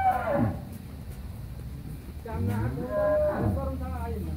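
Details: Pregnant Friesian dairy cow on a farm in Pabna, Bangladesh, eight months and 25 days in calf; two low moos, each starting with a falling tone and then a drawn-out tonal bellow, with faint background murmur.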